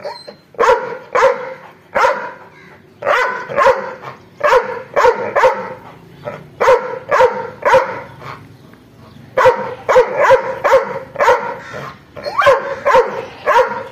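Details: An angry dog barks rapidly and persistently, harsh explosive barks following one another about twice a second with only brief pauses between runs.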